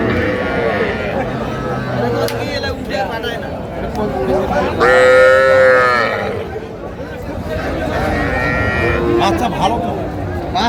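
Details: Young Sahiwal bulls and heifer calves at a cattle market in Faridpur, Bangladesh, 17 March 2025. Faint lowing early on, then one loud sustained moo around the middle, and softer calls later, all under constant crowd chatter.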